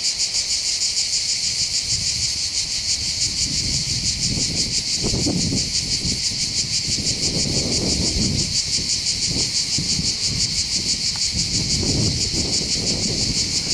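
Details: Cicadas singing over the Bandol coastline in the Var, southern France, in summer: a continuous high shrill pulsing drone, joined by gusts of wind and rustling that rise and fall underneath.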